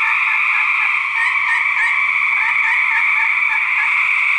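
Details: Fighting male gray treefrogs, 2010 recording: rapid pulsed trills overlap into a constant buzzy chorus, with distinct short beaded bursts repeating about every half second.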